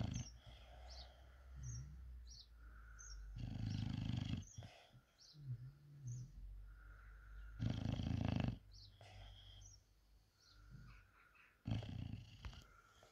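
An English bulldog snores heavily, each deep rattling breath rumbling low and harsh for about a second. Quieter wheezy breaths and faint background sounds fill the gaps between the louder snores.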